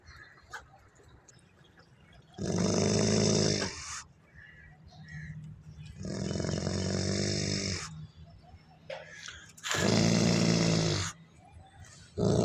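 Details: Wolfdog giving long, harsh, rumbling growls: three drawn-out raspy bursts of about one and a half to two seconds each, separated by quiet pauses, with a deep harmonic core and a noisy upper edge.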